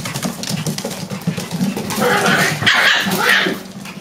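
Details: Coffee puppies at six weeks old: a low, pulsing rumble runs through the start, then a harsher, louder bark-like outburst with a noisy upper edge near the end.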